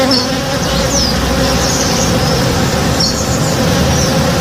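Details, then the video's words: A steady, low droning hum of honey bees working a blooming backyard tree in the morning, with faint bird chirps high above. "Relaxing Sounds - Honey Bees (Real Sound)"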